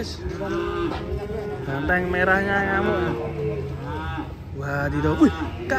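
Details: Cattle unloading by jumping down from a truck, giving several harmonic moos of a few seconds each, mid-pitched and wavering, with human voices and background music mixed in.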